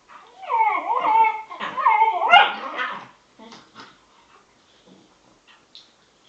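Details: Bedlington Terriers Freddie, 7 months, and Lottie, 10 months, best buddies at play making strange noises: loud, warbling, sliding whines and yowls for about three seconds, then scattered faint snuffles and small yips.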